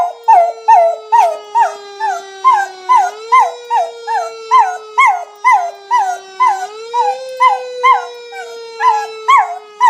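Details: A dog howls in response to a fire engine siren sound effect, the siren tone stepping up and down beneath regular, looping howls with bent, yodel-like pitch, repeated about twice per second.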